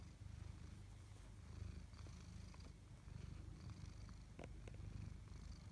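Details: Tabby cats Chloe and Koda at home; a loud, deep purr pulses continuously in even in-and-out waves, with small ticking sounds scattered over it.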